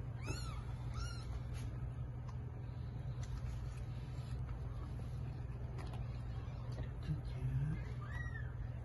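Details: Mother cat delivering eight kittens. Two quick, bright mews open the recording, then a quiet stretch with faint clicks and rustles, and a final short, high mew near the end over a low background hum.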